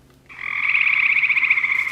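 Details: A male Cope's gray treefrog at Dragonfly Pond in Tenhave Woods, Royal Oak, gives a fast, harsh, buzzy trill of rapid pulses, the call that tells it apart from the look-alike gray treefrog.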